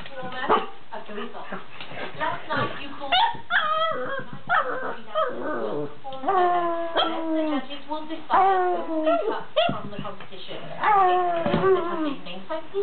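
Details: Milo, a pet pug, howling indoors: long wavering tones that rise and fall, broken by short yelps and whimpers, repeated in bursts across the recording, with a person's voice heard in the background.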